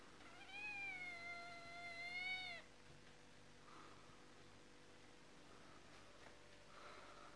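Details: Kitten giving one long drawn-out meow of about two seconds with a rich harmonic, slightly wavering tone. Quiet room sounds and faint soft noises follow.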